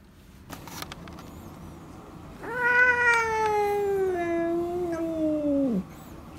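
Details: Retired boss cat Yongo (Kuro), former ruler of a residential area now in home end-of-life care, lets out a loud, strained screech lasting over three seconds, sliding steadily lower before breaking off abruptly.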